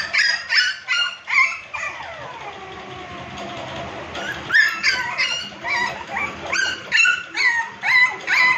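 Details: American Pit Bull Terrier puppies at a kennel giving high yipping and whining calls, repeated in quick bursts of about two per second, with a longer falling whine in the middle.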